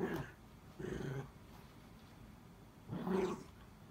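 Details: Miniature Dachshund voicing pleas for help, its toy stuck beneath the bed in a home room; three close, strained whimpers, short and tonal with bright overtones, the last the loudest, separated by quiet gaps.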